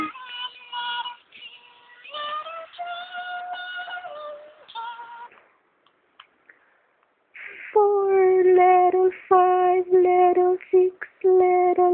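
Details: Sung melody with steady harmonic tones, a synthetic or child-like voice holding notes, a short quiet gap near the middle, then louder sustained sung phrases; no animal sound is heard.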